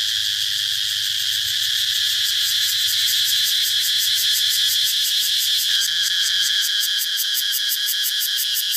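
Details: Cicadas droning in a high, hissing, steady buzz; after a few seconds the sound shifts into fast, regular rhythmic pulsing laid over the constant shrill tone.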